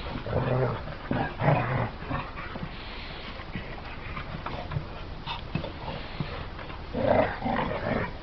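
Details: Pit bull dog voicing low harmonic whines and growl-like sounds, in bursts near the start, around one and a half seconds and again near seven seconds, between quieter rustling.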